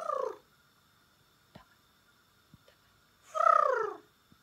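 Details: Pembroke Welsh Corgi giving a strong descending-tipped vocal call after a long silence broken only by soft knocks, with the end of a previous call at the start.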